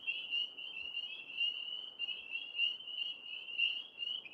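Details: Many tree frogs calling at night from high in a large maple tree: a dense, continuous high trilling chorus with overlapping pulsed notes, rising and falling in loudness.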